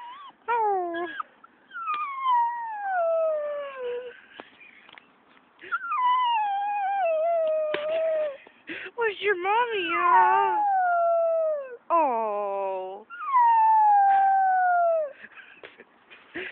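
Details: A young dog howls soon after being walked to the park to play, giving repeated long, downward-sliding wails mixed with shorter, higher whining notes, while a person speaks soothingly in between.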